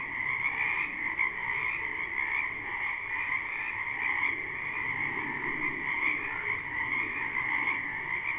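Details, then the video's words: Many frogs calling together in a spring wetland, a live unlooped recording: unbroken overlapping croaking trills, high and steady, with gentle swells and a quieter lower croak fading in and out. "Ambient Noise for Sleep Frogs"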